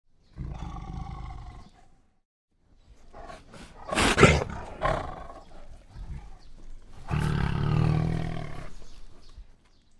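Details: White tiger roaring during a fight: deep, broad growling roars with strong low rumble and harmonic bands, a long roar early, a noisy burst mid-clip, then another sustained roar near the end.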